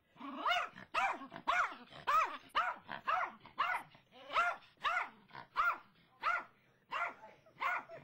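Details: Brittany the dog keeps up her barking at a squirrel in the front yard, a steady string of short, throaty barks repeated almost twice a second with little pause.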